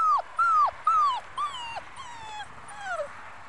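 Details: Five-week-old Muscle Mastiff pup, a future breeding prospect, whimpering in a steady series of six high whines, each starting level then dropping in pitch, roughly two per second, the later ones softer and longer, with a quiet background.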